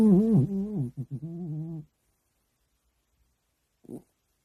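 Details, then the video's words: Dog snoring while asleep, a deep, voiced rumble that wavers in pitch and then breaks into a rapid run of short pulses, fading out after two seconds; a brief soft snort follows in the quiet. "이 소리 실화야? 강아지 코골이 돌겠네 ( 휴우~ 드르렁 커억컥!)"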